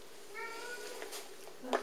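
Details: Ten-year-old domestic cat with smudgy blackish fur, cautiously friendly and curious, at a London Cats Protection shelter indoors; a single short, level meow with clear harmonics, followed by a woman's voice and a sharp handling noise.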